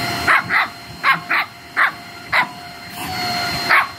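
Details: A Shih Tzu puppy playing with a running vacuum cleaner gives a string of sharp, high-pitched yapping barks over its steady mechanical hum.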